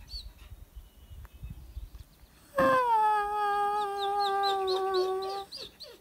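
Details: Wolf from a pack called in to ten yards at a high mountain lake: one long, smooth howl that starts high, dips slightly and holds steady for about three seconds, with faint bird chirps around it.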